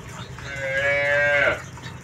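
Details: Milk-ready farm cow giving one drawn-out, tonal moo of about one second that swells and then drops at the end, over a steady low hum of farm background.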